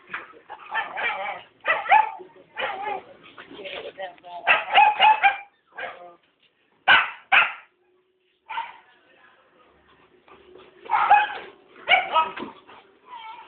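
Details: Rottweilers, apparently a senior and a junior dog, give bursts of short, harmonic barks and yips, with some human speech mixed in.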